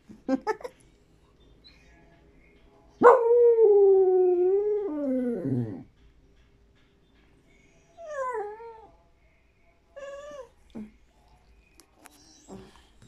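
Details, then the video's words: Dog crying for a tamal: a loud drawn-out whine that wavers and falls away, followed by shorter whimpers and yips, with a person asking in Spanish what it wants. "Perro llorando por un tamal"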